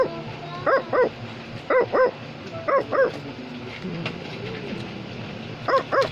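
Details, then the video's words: Pairs of bright, punchy barks from Wario, an Australian Labradoodle, come in four double bursts about a second apart, with a soft lower whine in the quiet middle. "Australian Labradoodle is barking"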